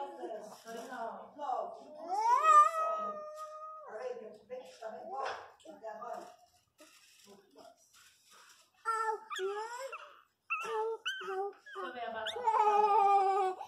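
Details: Six newborn Miniature Pinscher puppies, hungry and nursing, whine and whimper with high, rising and sliding cries.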